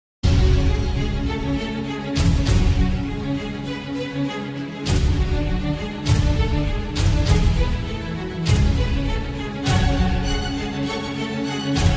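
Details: Loud theme music with a heavy beat and sustained tones fills the whole stretch, with no animal voice.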